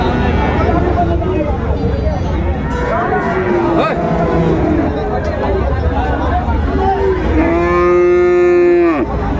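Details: At Raniganj market in Dinajpur on 26 December 2024, among Friesian and cross-breed bull calves for sale, fainter lowing comes first. A loud sustained moo near the end then drops sharply in pitch, amid bargaining voices and crowd noise.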